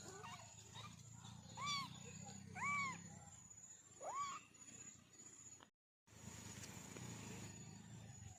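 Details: A kitten, one of a family of four, gives three clear rising-and-falling mews about a second apart, each with bright overtones, while a person calls softly nearby. A brief dropout follows, then a steady high hiss remains.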